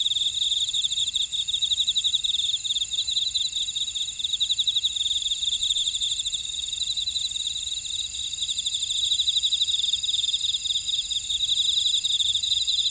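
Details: Grassland insects in a buckwheat field at Ora-dong, Jeju City, on volcanic Jeju Island, South Korea: a dense high-pitched chorus of rapid pulsed trills, several layered bands sounding together and swelling in waves, steady throughout.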